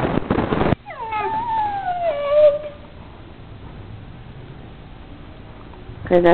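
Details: Dogs play fighting at home: a short noisy scuffle, then one long tonal whine that slides steadily downward over about a second and a half before fading, and another rough burst right at the end.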